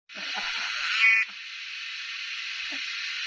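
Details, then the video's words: Cicada singing in summer: a dense, steady high buzzing drone that swells louder for about a second, then drops to a slightly quieter, even hum. Faint low thumps sound at the very start. "Cicada Sound||Sound_effect_of_Cicada_ in_summer"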